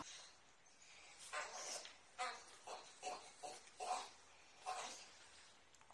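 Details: French Bulldog puppies giving a run of short, breathy yips and whimpers, about eight bursts spaced under a second apart, each with a faint tonal core over a hissy spread, in a quiet indoor setting.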